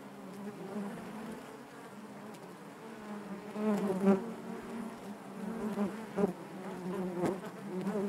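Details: Hive of honey bees giving a thick, unbroken hum, low and layered, growing louder past midway with several sharp flyby buzzes standing out above the steady drone.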